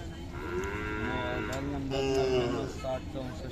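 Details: Khillari cattle at the Sangola market in Solapur district, 5 May 2024. A low, droning moo rises and falls in two long pulls, with market voices in the background.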